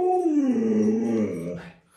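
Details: Pet Alaskan Malamute in a pack of dogs clustering around the owner, all trying to climb into bed. It voices a single sustained moan that slides down in pitch, holds, then fades out, with no background noise.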